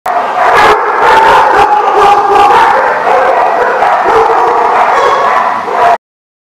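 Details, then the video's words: Several dogs barking at once in a dense, continuous chorus, yips and howl-like notes overlapping, loud and crowded for about six seconds before stopping abruptly. "The Barking Lot"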